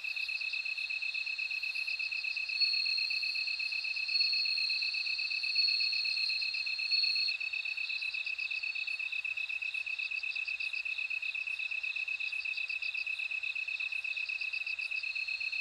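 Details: Bell cricket song: a high, steady ringing trill with bursts of pulsed chirps above it, under a constant lower insect tone that runs through the whole stretch, with faint ticking higher up.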